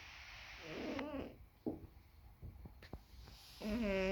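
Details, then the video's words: Sleeping cat snoring: two wavering, buzzy tonal breaths with rippling overtones, one near the start and one at the end, separated by soft clicks and rustles. "Snoring cat"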